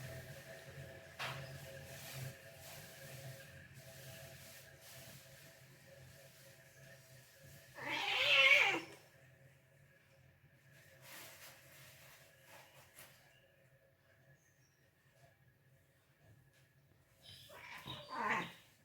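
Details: Cats fighting: after a stretch of low steady hum, a brief loud raspy screech bursts out near the middle, and a second shorter squall comes near the end.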